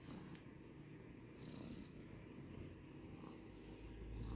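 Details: Domestic cat purring, recorded for ASMR: a steady, low rumbling drone with a fine rhythmic pulse that runs unbroken throughout and swells slightly toward the end. A faint background hiss is the only other sound.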